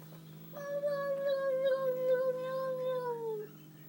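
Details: Domestic cat indoors, making a weird noise after seeing a new cat in the house: one long, steady, moaning tone lasting about three seconds that sags slightly in pitch at the end, over a constant low electrical hum.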